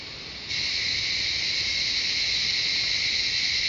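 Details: Cicadas singing in the jungle of Shivapuri Nagarjun National Park near Kathmandu, Nepal; after a quiet half second a loud, steady, high buzzing drone switches on and holds without a break.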